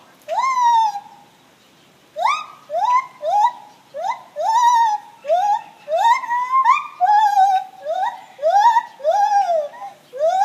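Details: Gibbons singing in the morning, a run of strong upward-sweeping hoots that flatten into sustained notes, delivered in quick succession after a short pause, some overlapping as a rhythmic chorus.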